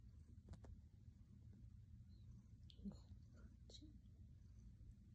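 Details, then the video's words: Silver grey kitty Baji kneading a blanket on his owner's lap and leaning in for kisses, a steady deep purr running throughout, broken by soft clicks, rustling and a few brief higher squeaks. "Kitty purrs and kneading on mom lap"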